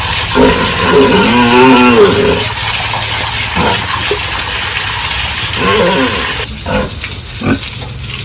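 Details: Pigs squeal at a village farm during the morning feeding and pen cleaning. One long, wavering squeal is followed by a shorter one a few seconds later, then clattering knocks and thuds near the end.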